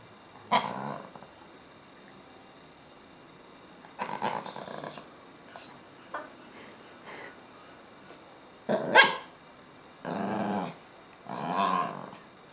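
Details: Lhasa Apso dog 'speaking': bursts of rough, growly barks and grumbling vocal sounds, each lasting under a second, separated by pauses of one to three seconds, with a louder cluster near the end.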